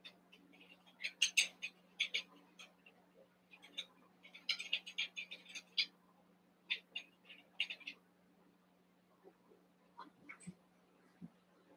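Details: Cavalier King Charles Spaniel puppies, Daisy's litter of six merged indoors with Robin's two pups, making eight. Bursts of thin, high squeaks and yelps come in quick clusters, then fade to scattered faint chirps over a steady low hum.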